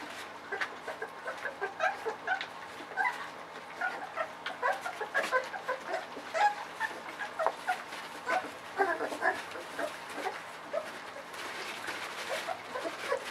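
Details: A litter of Ava's puppies, 3.7 weeks old, during their evening meal of puppy mush. Many short, high whines and squeaks overlap and scatter irregularly, with a steady low hum behind them.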